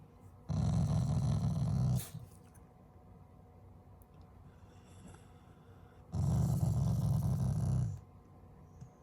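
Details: Family Shiba Inu giving an affectionate, not angry growl: two deep rumbling bursts of about one and a half seconds, with quiet between them.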